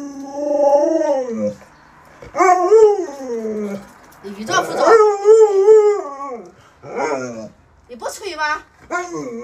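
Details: Luoluo, a trick-trained pet Alaskan Malamute, voices several separate howls, each swelling up and dropping away, spaced by brief pauses, with a few shorter choppy yelps near the end.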